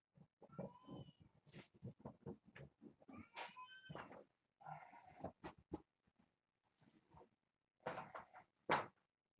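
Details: Kittens from Nala Se's litter, born June 21st to a rescued stray at Purrfect Pals, playing in the evening with a microfiber towel; several high, rising-and-falling mews come in short bursts among human voices and handling noises.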